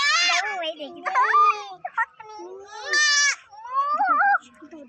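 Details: Four baby goats bleating in a busy, overlapping series: short nasal cries and longer quavering calls follow closely one after another, some rising and dipping in pitch, with few quiet gaps.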